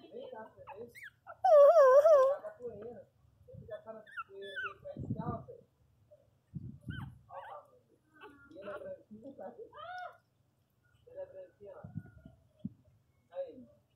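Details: Miniature Pinscher puppies playing: high wavering whines and yelps, one loud warbling cry near the start, then scattered short squeaks and whimpers with soft thumps and pauses between.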